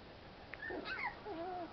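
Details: American Pit Bull Terrier puppies outdoors getting fresh air and playing; a short run of high, wavering whines that slide up and down, with a soft yelp before them.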